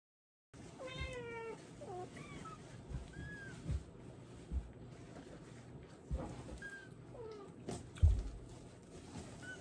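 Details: Domestic cat meowing during a diaper change indoors: a drawn-out falling meow near the start, then several shorter, quieter mews scattered through the clip, with soft handling thumps and rustling underneath.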